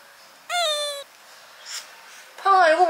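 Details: Kitten clinging to a window screen, discovered after waking up. Two bright, harmonic mews, the first held steady and the second wavering, with quiet room noise between them.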